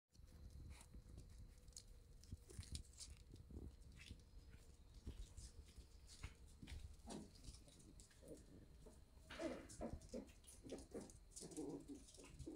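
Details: Shiba Inu puppies in the morning at a breeder in the Netherlands: short, whiny, mid-pitched yelps bunched in the second half, some rising and falling, over a steady low hum, soft rustling and scattered taps.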